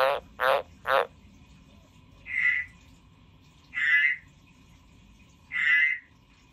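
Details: A kept frog croaking indoors: three sharp crackly bursts open, then three nasal, pulsed, mid-pitched croaks spaced about one and a half seconds apart against a faint low hum.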